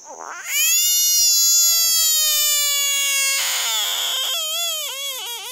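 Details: American bullfrog giving its so-called war cry when prompted by a person: one loud, sustained, strongly harmonic scream lasting about three seconds, followed by shorter wavering wails.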